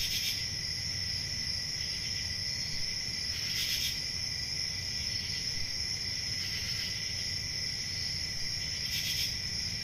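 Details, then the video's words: Night-time forest in summer filled with steady, piercing cricket trills on several high pitches, punctuated by brief louder bursts at roughly three-second intervals, with a quiet low rumble beneath. "10 Hours Relaxing Cricket Sounds For Sleep Ambient Summer Night"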